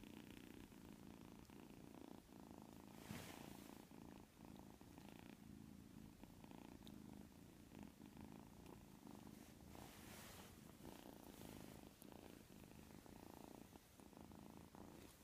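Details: White kitten asleep and snoring indoors; a soft, low, steady rumbling breath repeats continuously with faint rhythmic rises and falls and no other clear sounds.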